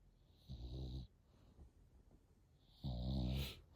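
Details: Eight-month-old French Bulldog puppy snoring indoors: two rumbling, low-pitched snores, each under a second, separated by a quiet pause of about two seconds with soft breathing between.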